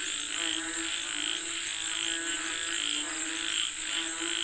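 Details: Many frogs calling for rain, their rapid throaty croaks blending into a continuous pulsing chorus, backed by a constant shrill insect drone.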